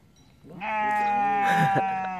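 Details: {'caption': 'On a mountain summit near Innsbruck, Austria, a sheep gives a single drawn-out, nasal scream of almost two seconds, steady in pitch. A faint voice overlaps near the end.'}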